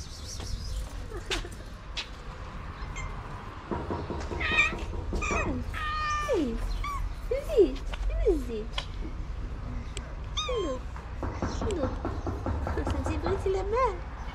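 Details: Feeding time for abandoned cats and kittens in Morocco, arriving one after another for the food plates; many overlapping meows, some high and harmonic, others short and falling, come in quick irregular succession over low background rumble.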